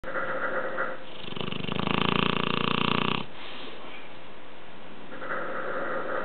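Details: Dogue de Bordeaux mother and pup snoring together: a loud, rough, rapidly pulsing snore swells for about two seconds in the middle, framed by quieter, softer breathing rasps before and after.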